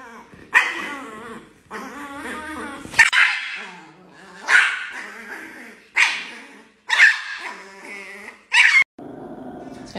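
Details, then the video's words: An angry Chihuahua lets out sharp, high barks about every one and a half seconds, with snarling growls between them, while a person talks in the background. "The most Angry Chihuahua in the world"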